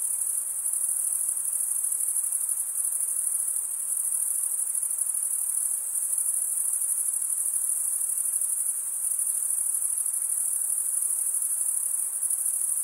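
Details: Crickets stridulating, with males rubbing one wing along the toothed vein of the other. A steady, high, shimmering trill runs unbroken for the whole stretch, with fine rapid pulsing and a faint wash of lower hiss beneath.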